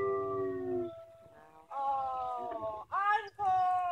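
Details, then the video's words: Atka the wolf howling: smooth, sustained tonal notes rich in overtones, first a low falling note, then higher held notes broken by short gaps, each lasting around a second. "Atka the Wolf howling"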